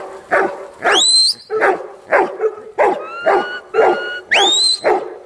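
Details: Huntaway dog barking in a loose series of about eight short, harsh barks over five seconds. Two high, rising whine-like squeals and a steady thin tone are heard among the barks.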